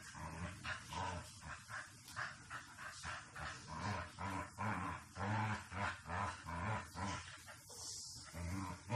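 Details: A Shiba Inu during behaviour-correction and obedience training gives a low, harmonic growling whine in rhythmic pulses, about two per second, steady throughout with a faint hiss behind.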